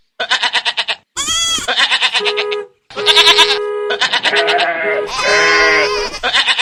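Goats bleat repeatedly in loud, quavering calls that overlap one another.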